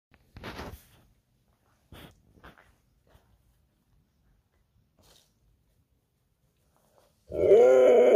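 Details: Indoor Siberian Husky in a mood: a few soft shuffling and sniffing noises, then a sudden loud, drawn-out harmonic roaring vocalisation with a wavering pitch that ends the recording.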